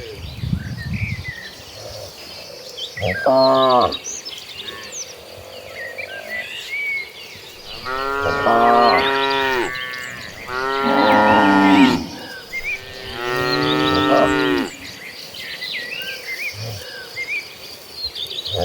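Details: Cattle of a herd running across green pastures, giving a short moo followed by three long, strained, harmonic-rich moos a few seconds apart, over steady bird chirps and insect hum.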